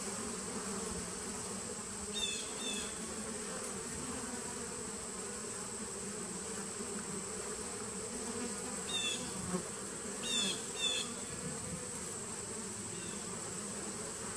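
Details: Colony of bees in a 2017 nuc, captured 19 September 2018, humming continuously in a thick, even low drone, broken by short high chirps in pairs around the two-second mark and twice more near the end.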